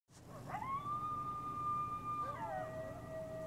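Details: A pack of coyotes howling at night on Devil's Night: after a faint opening, one long steady howl holds level for nearly two seconds, then slides down into a lower second tone, soft and distant.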